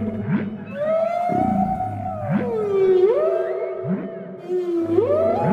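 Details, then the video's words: Whale vocalizing underwater: long smooth tonal sweeps that glide up and down, rise sharply at the ends, and recur every second or so over low rumble. "Whale Sounds!"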